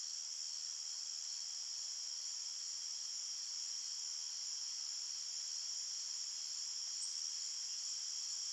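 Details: Crickets in a forest at night keep up an uninterrupted shrill chirping drone, several high pitches layered together, swelling slightly near the end, with no other sounds present.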